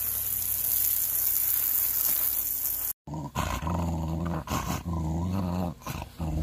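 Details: A Pembroke Welsh Corgi during a summer shower gives low, rumbling growls and grumbles after a burst of hissing rain.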